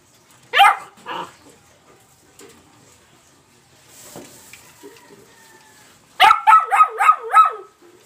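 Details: Young black Labrador Retriever, two to seven months old, born July 28, 2020: one sharp bark near the start, faint rustling, then a rapid run of five high yelping barks at the end.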